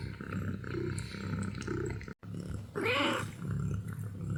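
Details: Sleepy kitten gives one short arched mew, rising and then falling, partway through, set against a steady low rumbling hum that fills the rest of the recording.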